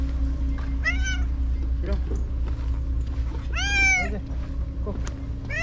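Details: White stray cat Shiro, back at the tetrapods after a day's absence, calls out repeatedly: three drawn-out, rising-then-falling meows, the middle one longest and loudest, while a man speaks to her over a low background hum.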